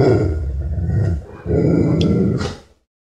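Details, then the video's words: Nervous, aggressive dog growling: a continuous low, gravelly rumble with a slight dip midway, then a brief harsher edge before fading out into silence. "Dog Growling Sound Effect"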